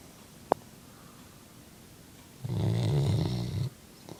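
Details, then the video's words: Brigley, a sleeping chocolate Labrador Retriever, snores indoors: one low, rumbling snore about a second long after quiet, with a brief click just before. "Brigley snoring (My Chocolate Labrador)"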